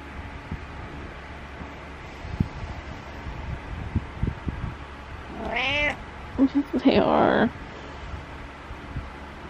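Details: Domestic cat meowing in the morning indoors: after several seconds of thumps and rustling, two rising, harmonic meows followed by a longer wavering meow, with a person speaking nearby.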